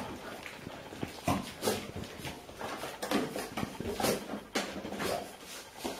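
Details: A five-year-old Golden Retriever grandmother tries to escape her 8-week-old grandpuppies seeking milk in a playpen, October 2013, Haute-Savoie, France; short whines and yelps amid scuffling and small puppy noises indoors.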